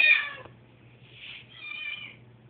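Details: Nervous pet cat on a noisy moving day gives one loud, high meow, then two softer, drawn-out meows, with a low steady hum throughout.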